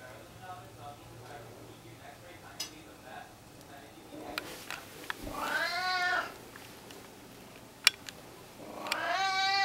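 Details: Domestic cat recorded indoors in April 2016, giving two drawn-out harmonic meows, the first rising then falling around six seconds, the second starting near nine seconds; soft clicks and low room hum in between.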